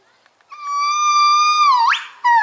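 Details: Pair of gibbons calling in their morning chorus at a zoo: a long, steady, pure note held for over a second, sliding down, then sweeping sharply upward, followed by another loud note.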